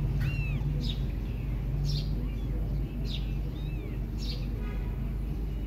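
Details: Mother cat Silky licks and grooms her kittens, who want milk; short high arched mews sound early and again past mid-clip, set among regular soft rasping bursts and a constant low droning background.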